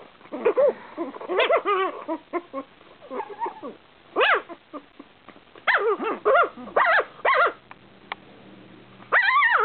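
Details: Two eight-week-old Shih Tzu littermates squabble over a lap with a burst of high, arching yips and whiny squeals.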